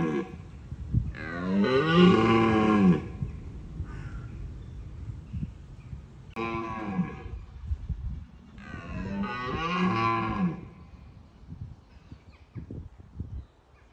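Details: Wild red deer stag roaring during the rutting season in Bushy Park to deter rivals: three loud, deep, grating roars spaced a few seconds apart, with quieter low grunts and rustling between them.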